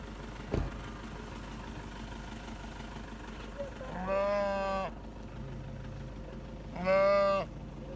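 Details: Two loud, harmonic bleats from a goat in a village herd in Pakistan, each lasting under a second and spaced about three seconds apart. A sharp knock comes early, and a low engine-like hum runs underneath.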